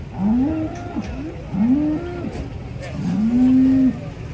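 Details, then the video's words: Cattle being unloaded from a truck give three drawn-out moos, each rising then holding steady, the last the longest, spaced about one and a half seconds apart, with a faint engine rumble underneath. "KUMPULAN SAPI LUCU UNIK TURUN DARI TRUK"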